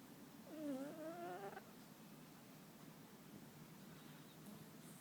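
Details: A single whistled snore from Muffin, a sleeping pet cat, wavering then fading, followed by quiet breathing hiss.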